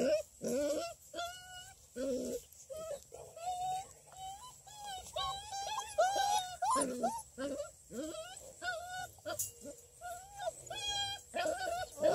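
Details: Six-week-old female Redbone Coonhound puppies, a litter from a breeder near Kingston, Ontario, Canada, at play. They give high, tonal whines and short yelps, many overlapping and repeated rapidly, some rising and wavering, over a faint steady hum.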